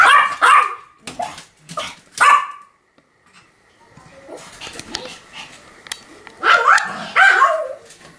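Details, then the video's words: Pomeranian named Sam barking in a continuous series, recorded October 7, 2015: sharp high barks in quick bursts near the start, a quieter stretch with softer noises, then more yappy barks toward the end. "犬の鳴き声 ポメラニアン サムの連続吠え"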